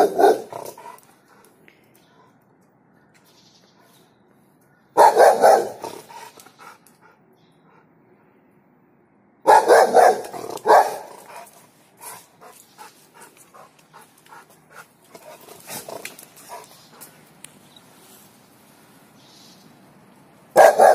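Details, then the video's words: Puppy eager to play with a cat, giving short bursts of yappy, mid-pitched barks near the start, around 5 s, a busier cluster from 9.5 to 11 s and one more at the end, with quiet gaps between. "Puppy wants play with cat"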